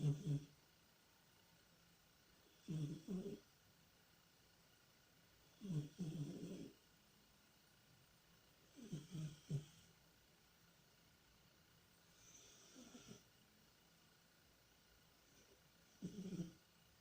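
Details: Sleeping domestic cat Tikhon, dreaming and occasionally moaning in deep sleep, gives deep, throaty snores in double-pulsed bursts about every three seconds, six in all, with quiet pauses between.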